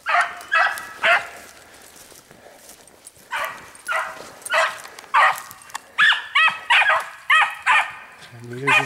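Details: Dogs running a hare in spring, giving loud harmonic bays in bursts, a few quick ones, a pause of about two seconds, then a steady string roughly every half second, with a man talking over the chase.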